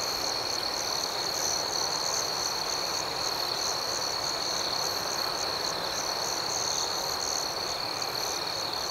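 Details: Gentle cricket chirping at night, a dense, even high trill that never pauses, with soft rhythmic flickers riding over it and nothing else clearly heard.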